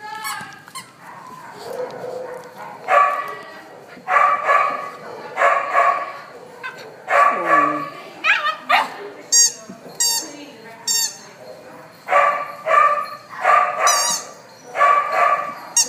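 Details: Three pit bull puppies playing around at an animal shelter, giving short bursts of high yipping barks every second or so, with a few sharp squeaks in between.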